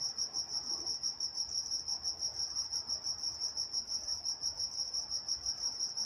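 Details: Crickets chirping at night in Walnut, California: a steady high-pitched pulsing trill, about three pulses per second, with a fainter higher band above and soft low background hiss.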